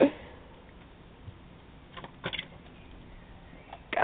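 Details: Quiet indoor hiss broken by a few soft knocks and clicks, with no animal voice.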